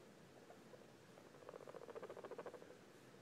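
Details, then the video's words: Guinea pig giving a quiet rumbling purr: soft at first, then a fast run of pulsed, buzzy beats repeated many times over about a second, in a small indoor room with faint background hiss. "What does this guinea pig sound mean?"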